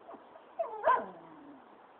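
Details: A pet dog guarding its territory gives a single short, harsh bark near the middle, with a brief lead-in yelp before it, then quiet room background.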